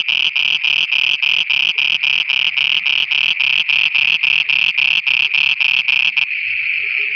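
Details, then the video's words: Night frog chorus in Pakistan: evenly spaced, buzzy croaking pulses, about three each second, over a continuous bright ringing tone. The pulses stop abruptly near the end, leaving only the drone. "Frogs singing at night"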